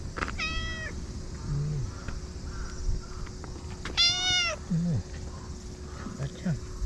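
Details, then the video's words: Stray cats at a Japanese fishing port in the evening, seeking affection and rubbing against a visitor; two clear harmonic meows, the second longer and louder, over low rumbling background noise and a steady hum. "夕方の漁港でおかっぱちゃんが甘えてスリスリが止まらない‼️ Japanese cats"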